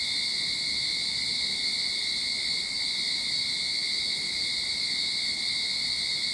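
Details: Sydney backyard cicadas early in summer, droning in one constant high-pitched shimmering buzz that never pauses or swells, with a steady lower whine beneath the main band.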